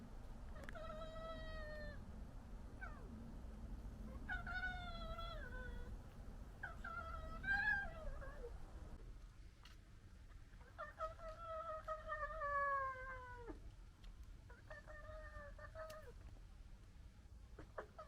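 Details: Red foxes of a local family interacting and disagreeing: drawn-out harmonic wailing cries, some falling in pitch, several in a row with short pauses, a steady low rumble of background noise beneath.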